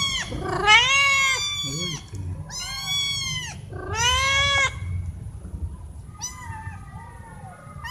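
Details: Loud meowing from domestic cats, four in the group, wanting food or attention; three strong arched meows about a second apart, then quieter, fainter meows trailing off, with a faint background hum.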